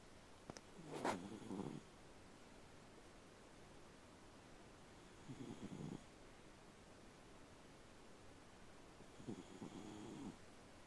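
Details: Elderly Shiba Inu snoring while napping: three low, rasping snores roughly every four seconds, each lasting under a second, in a quiet room with faint background hiss.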